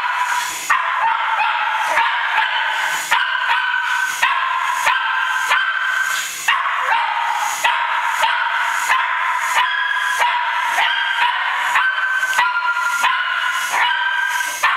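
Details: A Cairn Terrier chasing a toy helicopter barks in quick, sharp bursts over the helicopter's steady, whining motor hum.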